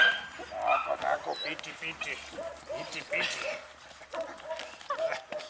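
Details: Four eight-week-old puppies of the H litter, two males and two females, at play: short high whines and yelps repeated through the clip, mixed with scuffling and a human voice.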